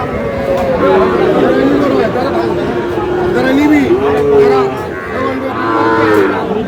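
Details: Sahiwal bull and calf cattle at Aftabganj market, Dinajpur, traded on 11 July: low, arching moos that swell and fall repeatedly, mixed with loud human chatter and bargaining.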